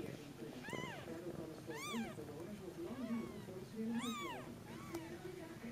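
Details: Two-day-old Snow Bengal kittens in their warm den while their mother is out on a short walk, giving thin, arching meows that rise then fall, four or five calls over a few seconds, with low murmuring voices in the background.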